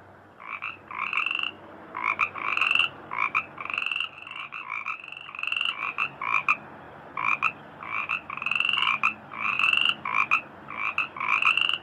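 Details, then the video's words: Frogs in a rice field, their singing called melodious: short raspy croaking bursts repeated irregularly in quick clusters, several calls overlapping at times, over a faint steady background hum. "suara katak di sawah merdu"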